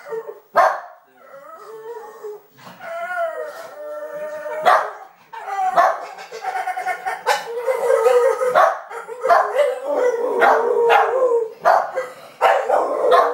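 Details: Dog howling: sustained, wavering tones around mid pitch, rising and falling, broken by sharp barks and yelps; several voices seem to overlap in places.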